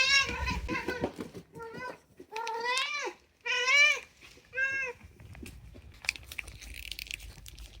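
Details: Chatty indoor meowing from Unagi, a rescued male pet cat whose calls are mostly about food: a quick run of five or six short, rising-and-falling meows over about five seconds, then quiet room sounds.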